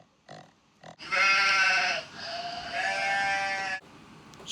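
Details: Sheep bleating in a long, wavering, nasal call lasting nearly three seconds, with a brief low sound before it and a short noise at the end.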